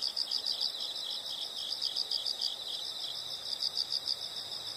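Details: Insects, probably crickets, sounding in a background nature recording: a bright, evenly pulsed high chirping chorus running steadily throughout over a soft hiss.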